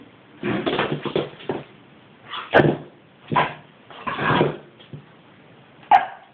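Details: Five-month-old Boston Terrier puppy, angry and scared while trying to reach its ball stuck in its basket. It gives a clustered run of harsh, rough barks and grumbles, then single sharp barks spaced about a second apart, with quiet gaps between.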